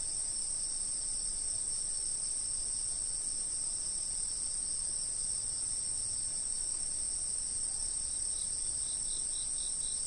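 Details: Insects from a fixed camera spot: a constant high-pitched ringing drone throughout, joined near the end by a faint series of quick, evenly spaced chirps.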